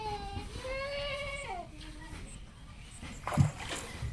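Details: Goat on a farm on a sandbar of the Padma River in Bangladesh, where a doe named Queen lives with two young kids; one long, wavering, tremulous bleat rising then falling, followed by quiet rustling and a brief splash-like knock.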